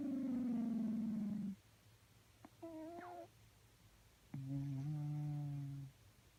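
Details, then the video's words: Cat snoring in its sleep. The clip opens with a falling hum, then a brief higher whistled wheeze, then a steady low droning breath of about 1.5 seconds. Breaths are separated by near silence. "Snoring and sleeping cats makes weird noises"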